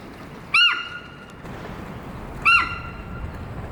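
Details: Alarm calls of Amanda, a 15-year-old female Hokkaido sika deer kept at Sapporo's Maruyama Zoo, alert to something and calling loudly for about ten minutes; two short piercing whistled squeals two seconds apart over low noise.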